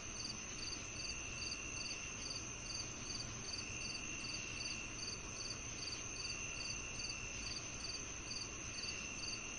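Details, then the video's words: Rhythmic cricket chirps, with bright, clipped pulses at an even pace of roughly two and a half per second, layered over a steady high-pitched insect drone. "The Cricket Sounds"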